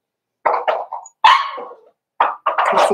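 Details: Cavalier King Charles Spaniel puppies, four weeks old, in a puppy pen while being socialized with other dogs; loud, bright yelping whimpers come in two groups, one cry sliding downward, the last a rough, strained whine.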